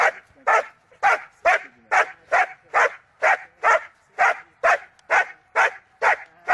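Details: Gaia von Starke Pfoten, a German Shepherd in Schutzhund hold and bark training, barking in a steady rhythm of loud, punchy single barks roughly two per second throughout.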